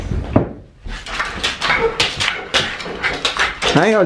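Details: An impatient Shiba Inu indoors gives a high, wavering whine, rising and falling, while its owner gets ready for a walk and speaks to it.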